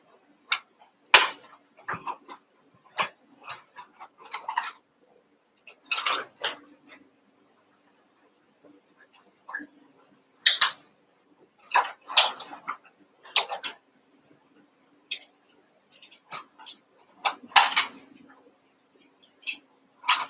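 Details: Cavalier King Charles Spaniel puppies, Daisy's litter of six merged with Robin's two, playing together indoors: scattered bursts of short high squeaky yips and whines, a few sharper yelps, over a faint steady low hum.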